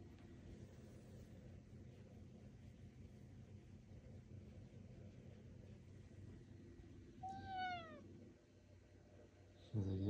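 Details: Male house cat chatting to its owner about his day indoors: a low steady hum, then one clear falling meow about seven seconds in, followed by a short louder noise at the end.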